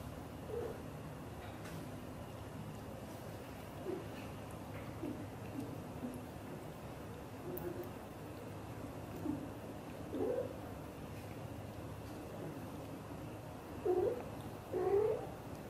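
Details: Xaxa, a blue golden British shorthair mother cat, talks to her kittens indoors: soft, short chirping trills, some rising, scattered roughly once a second, growing louder as a double burst near the end, over a steady low room hum.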